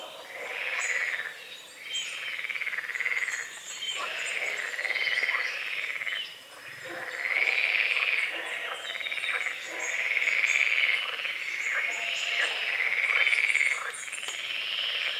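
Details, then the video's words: Dawn chorus of frogs on a small lake at the forest edge under morning fog: dense rattling croaks swell in waves every few seconds, nearly continuous, with birds singing high and faint overhead. "The sounds of morning frogs croaking"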